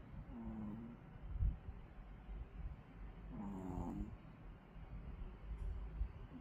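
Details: Sleeping, tired Pomeranian dog snoring quietly indoors: two soft, rasping, harmonic snores several seconds apart over a low, steady background hum.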